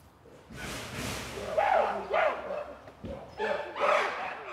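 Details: Zoo chimpanzees (Pan troglodytes) give loud, harsh calls in bursts that rise and fall in pitch as they are let outside to a breakfast table at Zoo Leipzig, heard before they are seen, calling excitedly.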